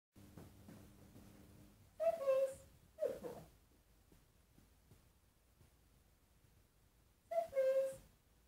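A three-month-old Egyptian Mau kitten meows in a quiet room, with short, high-pitched calls that dip slightly at the end. The meows come in a few separate bursts as the kitten asks for treats.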